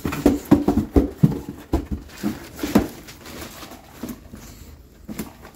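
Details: Teething bulldog puppy in a tantrum gives rapid, low, gruff yaps and grunts, several per second for the first three seconds, then softer scattered mutters and one last burst near the end.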